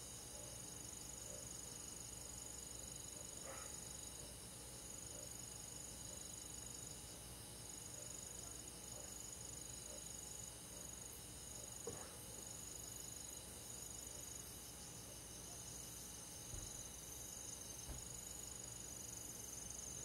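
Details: Summer-night insect chorus with crickets in a forest: a dense, high, rapidly pulsing trill from many insects running unbroken, with a few faint soft ticks and a low background hiss.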